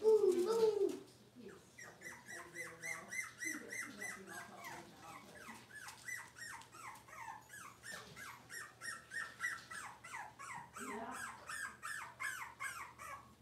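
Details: Six-week-old Cavalier King Charles Spaniel puppies in an indoor puppy pen, being dewormed and having toenails trimmed, give rapid high squeaky whines and yelps, several short cries each second, with brief human speech at the start.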